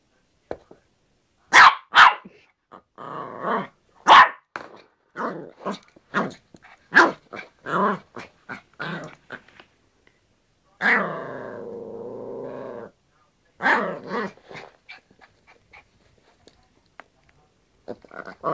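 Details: Yorkshire Terrier playing with a hairbrush: a quick series of sharp, high barks and yaps, irregularly spaced, with a sustained two-second growl midway and soft scuffling.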